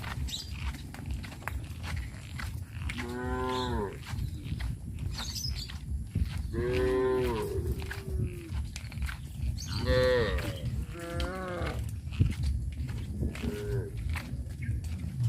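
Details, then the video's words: Tame cows in a village being herded toward a grazing field, giving several harmonic moos around three, seven, ten and thirteen seconds, some rising then falling, over steady low rumbling and scattered clicks and footsteps. "Sound of cows"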